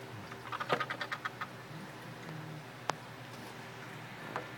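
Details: Pet tree frogs, kept indoors and singing while riding piggyback, possibly mating: a rapid run of about eight dry, clicking pulses over the first second and a half, then a lone sharp click and one faint later pulse over a steady low hum.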